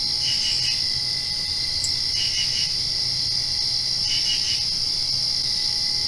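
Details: Crickets at night directly after rain: a steady high shrill trill runs throughout, with brief pulsed chirp bursts near 0.3, 2.2 and 4.1 seconds, each three or four quick pulses; a faint low hum underneath.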